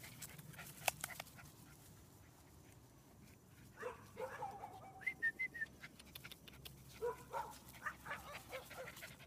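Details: Young female Chihuahua-Rat Terrier mix up for adoption in Oviedo, Florida, friendly and playful with other dogs; soft high whines and short yips start about halfway through, quiet and irregular, over a low room hum.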